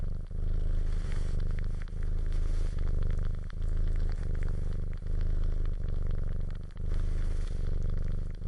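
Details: Steady low purring from a domestic cat, a buzzing rumble in rhythmic breathing cycles roughly every one and a half seconds, with soft clicks and rustles in the foreground.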